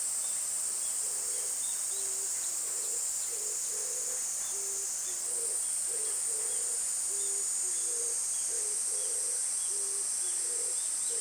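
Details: Summer cicadas keep up a steady high-pitched sizzling drone, while a second caller repeats short, low, hooting tonal notes in uneven groups roughly every half second to second throughout.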